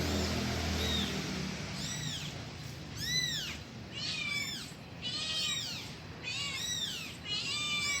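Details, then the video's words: Kitten calling for its mother with a run of high, arched meows, each rising then dropping, about one per second, some overlapping, over faint background hiss. "suara anak kucing manggil induknya"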